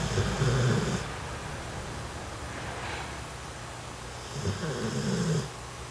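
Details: Sleeping puppy snoring, soft low breathy snores in two bursts near the start and end with quieter breathing between, a faint household hum underneath.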